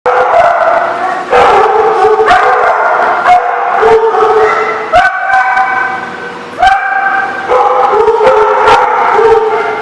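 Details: Dogs barking at a kennel or dog lot, recorded 28 April 2014; repeated loud, harmonic barks in bursts roughly every one to two seconds, several overlapping voices, with a few higher yips.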